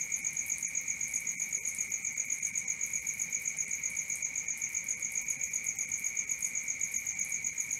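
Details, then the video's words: Constant chirping of crickets at night, a bright high buzz pulsing steadily near four times per second on two layered tones, with a quiet backdrop. "Cricket 1 hour for Sleeping & Relaxation, Black Screen, ASMR, Dark Screen Nature Sounds"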